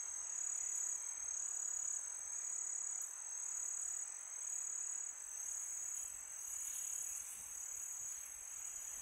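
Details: Night-time crickets in summer giving a continuous high shrill trill, loudness rising and falling gently, accompanied by soft wind.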